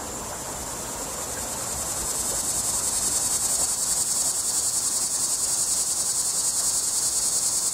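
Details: Cicada calling from a tree, a loud, harsh, high buzzing drone that swells in volume over the first few seconds, then holds steady with a rapid pulsing throb, several beats per second.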